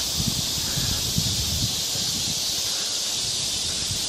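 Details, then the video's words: Summer cicadas in full chorus in a forest park in Yangcheon-gu, Seoul, during a heatwave on 3 August 2023: a steady, high, hissing drone, with soft footsteps of someone climbing a trail. "매미 소리가 아주 한창 울고 있습니다."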